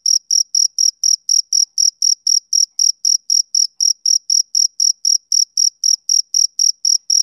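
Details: Rhythmic chirps of a male cricket on a summer evening: bright, high pulses repeated quickly and evenly, close to four a second, with silence between each burst and no other sounds.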